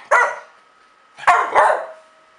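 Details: A young dog, 8.5 months old, barks while trying to get another dog to play: one sharp bark, a short pause, then two quick barks close together, each loud and harsh.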